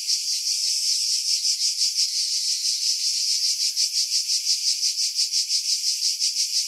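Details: Cicadas in pine trees 50 m above the sea on Skiros, Greece, summer 2018; an intense high buzz throbbing in regular waves nearly three times per second, with no other sounds.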